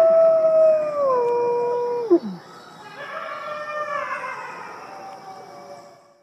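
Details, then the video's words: A wolf pack of some fifty voices: one long, steady howl slides down and breaks off, then many voices rise together in a chorus. "Incredible wolf song - 50 voices strong!"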